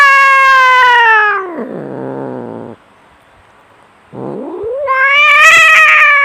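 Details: {'caption': 'Cats in a fight, a loud sustained yowl sliding down into a low growling moan, a short pause, then another rising wail that turns harsh and raspy at the end.'}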